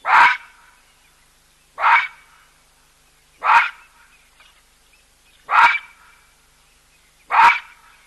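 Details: A baboon gives loud, harsh barks, one roughly every two seconds, at a waterhole where a skittish cheetah drinks alongside an elephant, in an otherwise quiet setting.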